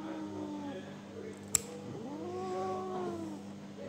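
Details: Pet cat Tommy indoors, held while its nails are being clipped, gives long drawn-out wailing meows that bend up and then down, two main calls, with a sharp click partway through, a steady low hum and people talking.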